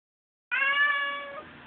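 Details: Oreo, a talking pet cat, gives a single drawn-out meow after a moment of quiet. It lasts about a second, holding a steady, rich tone before tailing off softly.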